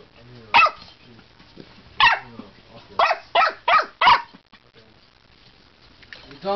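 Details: Male dog at its water bowl, called a water bowl hater, giving a handful of loud, harmonic barks or yelps at uneven gaps over about four seconds, then a quieter vocal sound near the end.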